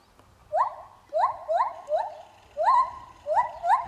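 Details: Captive lar gibbon singing while swinging: a series of loud hooting notes that rise then hold level, repeated roughly every half second to second in uneven pairs, over faint low background noise.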